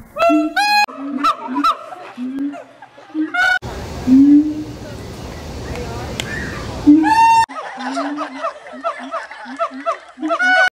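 Siamang giving loud harmonic screams and low booming hoots in abrupt, choppy bursts.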